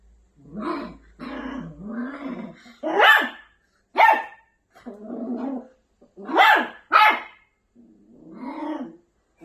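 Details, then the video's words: Angry Maltipoo puppy mixes low rolling growls with sudden sharp yapping barks, alternating through the clip. "Angry maltipoo puppy"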